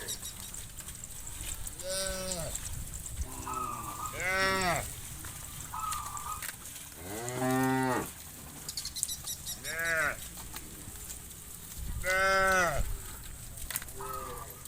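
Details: Many farm cows in a large herd walk back to the pen at dusk across a wide pasture. Several overlapping moos, some deep and some higher and strained, rise and fall every couple of seconds.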